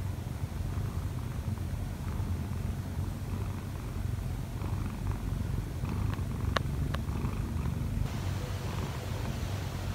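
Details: Kkobugi the odd-eyed Munchkin cat, one year four months old, kneads and purrs on its owner in the morning. Constant low purr throughout; a couple of sharp clicks near the end.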